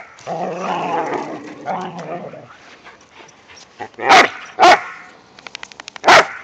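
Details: Romping in the season's first light snow, whippets and a rat terrier give a low rumbling growl for about two seconds, then a few sharp, loud single barks spaced over the last seconds, with soft pattering between.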